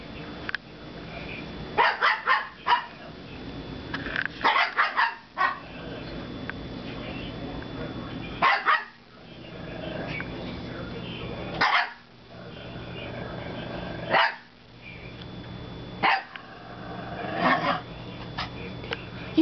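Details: Two dogs, Gabby and Winky (now Wally), including a foster dog, play-barking at each other indoors during apparently their first play together; bursts of sharp barks separated by short quiet gaps, with a person's voice urging them on.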